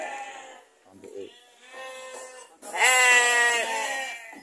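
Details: Texel F1 ram kept in a pen colony alongside ordinary sheep on an Indonesian farm: a long, loud, wavering bleat with a shaky tremolo follows a man speaking, and background music plays softly.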